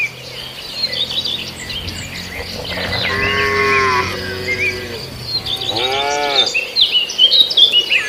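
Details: Cattle feeding on grass in an Indonesian farmer's rice field: a drawn-out moo near three seconds, then a shorter wavering one around six seconds, over constant bird chirps and a low rural hum.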